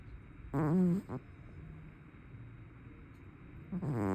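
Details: Loud snoring from a plump tabby cat indoors: a low, buzzy, wavering rumble for about half a second, a shorter snort just after, then a quiet stretch before the next rasping breath begins near the end.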